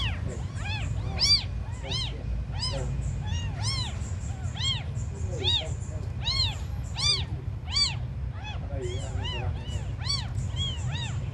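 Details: Abandoned kittens, described as the smallest, mewing in a rapid series of high, arching cries that rise and fall, several overlapping at once, over a steady low rumble of background noise.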